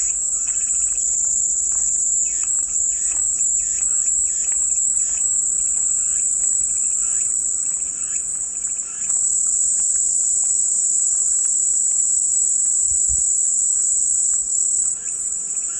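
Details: Calming cicada white noise: a dense, shrill buzzing chorus that pulses and flickers for the first half, then settles into a smooth, unbroken high whine, with faint scattered chirps beneath.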